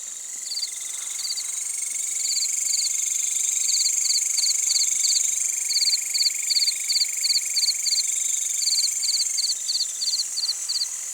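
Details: Crickets at night in an Indonesian village after sunset, among crickets and green grasshoppers: short sharp chirps in quick bursts of three or four over a steady high insect drone, with a second lower continuous trill.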